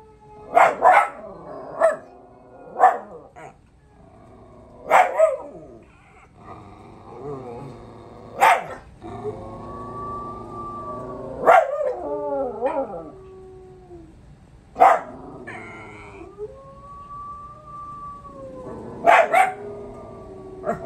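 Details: Pups answer a dog howl challenge with sharp barks at irregular intervals, broken by wavering, rising and falling howls between them.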